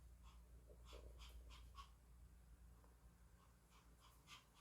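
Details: Timid puppy named Yeoreum, struggling in an unfamiliar spot inside the house, pants softly with quick, breathy puffs repeated a little over twice per second, faint over a low steady room hum while being coaxed over.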